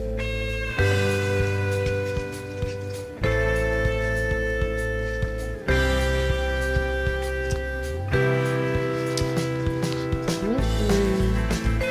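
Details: Blues-style slide guitar music plays throughout, with plucked notes and chords changing roughly every two to three seconds and no animal sound.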